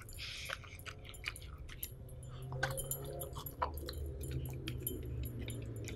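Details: A female Siberian Husky eating a beef stew dinner chews and laps noisily, with wet crunches and clicking bites over a low hum.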